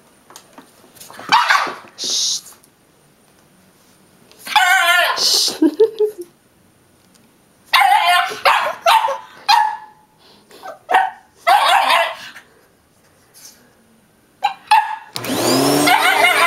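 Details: Boston terrier named Yoshi barking indoors, short sharp harmonic barks in bursts of several, separated by quiet gaps, with a person talking between them.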